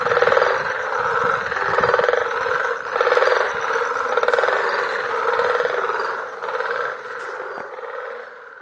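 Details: Dense chorus of frogs calling together, a continuous rapid pulsing croak in a mid-pitched band, swelling in loudness roughly every one to two seconds.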